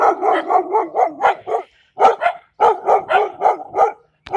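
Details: German Shepherd puppy imitating an adult Belgian Malinois, rapid runs of short, harsh, mid-pitched barks at about four per second, in three bursts split by brief pauses.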